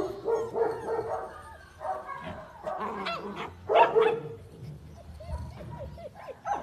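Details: German Shepherd puppies yelp and whine over one another in quick, uneven bursts, sharp squeaky notes mixed with short falling whimpers, loudest near the middle, with a low rumble of handling noise underneath.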